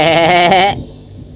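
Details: Goat kids playing in a goat pen give one wavering, nasal bleat of rich harmonics lasting under a second. It ends abruptly and leaves quiet background.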